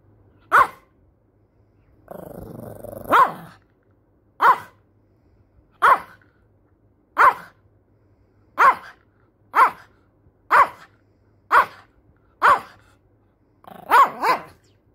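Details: A cranky Shih Tzu puppy, described as angry, gives a short low growl followed by a string of sharp, high yapping barks, about one each second, ending in a quick double bark.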